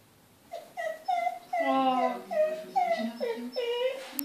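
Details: Ikko, a Kai Ken dog indoors, whines on seeing wildlife on TV: a string of short, tonal, falling whimpers, each about half a second long, coming one after another in a small room.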